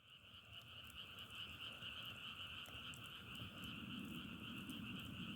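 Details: Frogs calling outdoors while travelling, their sound likened to crackling firewood: a dense, continuous chorus of overlapping rapid croaks forming a steady bright high band with a lower band beneath, and no other clear sounds.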